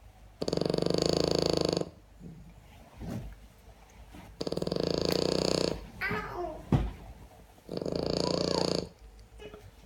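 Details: A pet French Bulldog snoring indoors: three long, loud raspy rumbling breaths, each about one and a half seconds, separated by quiet pauses with softer snuffling in between.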